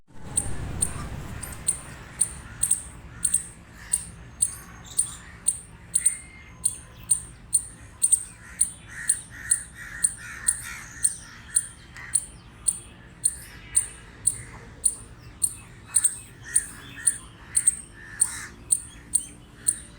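A squirrel gives sharp, scratchy barks repeated about three times a second in a steady series.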